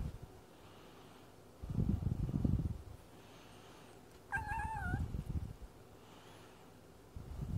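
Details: A chatty male house cat having a chat; one short, clear, slightly falling meow midway, set among low rumbling thuds and handling noise in a quiet indoor setting.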